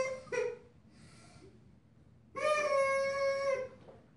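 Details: Purple-collared female German Shepherd puppy, five weeks old, from Ibon Jipo-Me and Witch von Wendelin: a brief yelp, then a sustained, steady, harmonic-rich whine of about a second, in a quiet small room.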